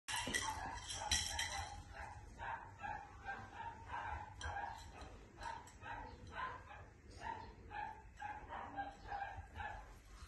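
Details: Border Collie barking in a quick run of short, sharp barks and yips, several bursts each second and steady throughout, over a constant low rumbling background.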